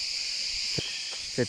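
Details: A dense, steady chorus of cicadas in a forest near Selçuk and ancient Ephesus, Turkey, fills the air with a high, shimmering buzz described as completely crazy.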